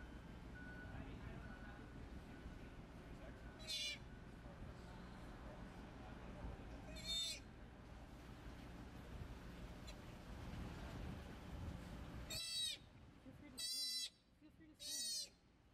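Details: Joey, a baby sea otter in care at a marine mammal rescue, learning to swim and dive in the water: five loud, piercing squealing cries rich in harmonics, irregularly spaced, over a steady low hum and quiet human voices.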